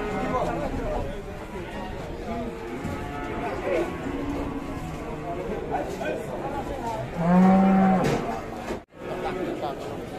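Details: Cattle at the Ambarawa livestock market in Indonesia, where Limousin cattle are being traded: one loud, low moo lasting about a second near the end, over steady crowd chatter and men talking.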